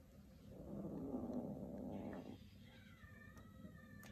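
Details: Kitten growling while two kittens compete for a shoelace: a rough low rumble swelling for under two seconds, then fading into quiet room hum with faint higher tones.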